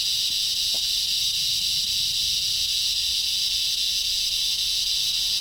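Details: Very loud insects in a front-yard tree give an unbroken, high, bright drone, hissing like steam rather than pulsing in clear chirps. A faint low thump is heard near the start.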